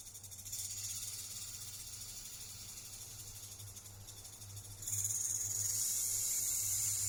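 A rattlesnake's dry, hissing rattle buzzes steadily, growing louder and harsher partway through.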